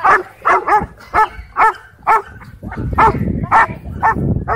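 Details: Aggressive dogs clashing in a dog park: rapid series of sharp barks about twice a second, with low rough growling noise building underneath in the second half.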